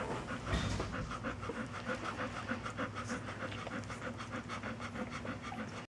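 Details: Puppies, named Layla's litter, panting in quick rhythmic breaths at about three per second, a steady low hum running underneath throughout.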